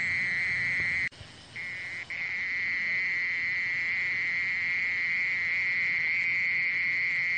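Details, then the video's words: Mole cricket song, a steady high buzzing trill. A sharp click interrupts it for about a second, then the even churring resumes and continues to the end. "땅강아지, 여러번 듣기, 곤충소리"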